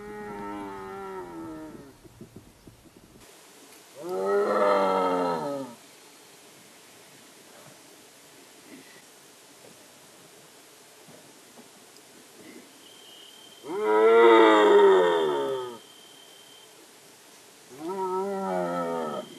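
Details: A striped hyena in India gives drawn-out, wavering, moaning calls, each lasting over a second, with long pauses between.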